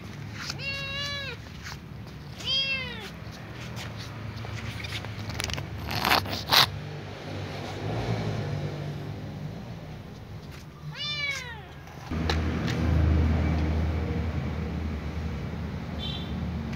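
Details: Little ginger domestic cat meowing at the smell of food it remembers: three drawn-out, harmonic-rich meows, the first two close together and the third after a pause, over a low background hum with a few clicks and knocks.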